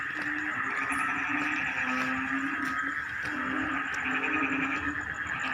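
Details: Rice-field frog chorus at the start of the rainy season, likened to a choir: overlapping low croaks rising and falling over a constant buzzing wash, with a thin, rapid high-pitched pulsing throughout.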